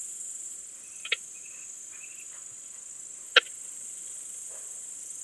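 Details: Leptophyes boscii, the Balkan Speckled Bush-cricket, in Vela Ucka, Croatia, 10 July 2022, via ultrasound detector: a faint tick followed two seconds later by a louder sharp click, steady hiss throughout.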